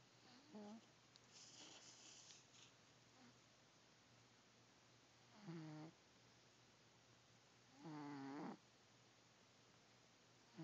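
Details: Sylvester, a 15-year-old pet cat, asleep on a pile of warm laundry on a rainy Saturday morning. Three raspy, tonal snores at uneven gaps over a steady low indoor hum.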